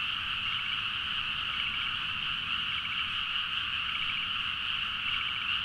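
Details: Night chorus of frogs in paddy fields, Nagaoka, Niigata, Japan, recorded by Zoom H4n; continuous dense croaking with short rattling bursts from individual callers rising above the steady trilling mass.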